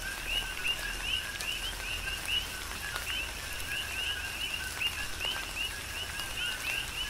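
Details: Coqui frogs calling in a tropical rain shower on the Big Island, Hawaii: many overlapping two-note chirps, each ending in a short upward whistle, repeat rapidly over a steady patter of rain and scattered raindrop ticks.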